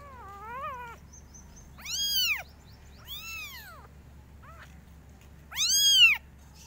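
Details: Kittens calling loudly in varied styles, a wavering mew followed by three strong arched meows, each under a second, separated by brief pauses over a faint low hum.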